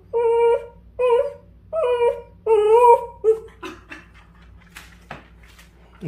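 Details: Indoor Dachshund, upset at seeing a puppy wedged by the air conditioner, gives four drawn-out, wavering whimpers about once a second, then quieter clicks, shuffling and a low grunt at the end over a constant room hum.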